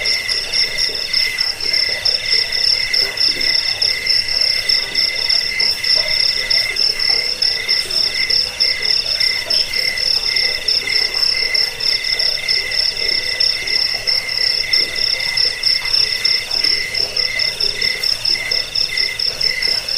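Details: Crickets, offered as a recording to drive away rats, help people sleep and tutor songbirds, chirping in steady pulsed trains at several high pitches at once, one thin band, one middle band and a bright top band, with no other sounds.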